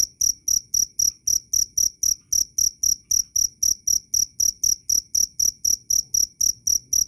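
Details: Loud, clear cricket chirps, each a short high metallic pulse, repeating evenly almost four times a second throughout, over a faint low background hum.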